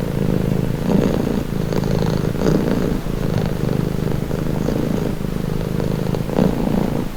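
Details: Close low purr of a house cat, buzzing rumble with gentle pulses on each breath, occasional soft clicks; nothing else heard.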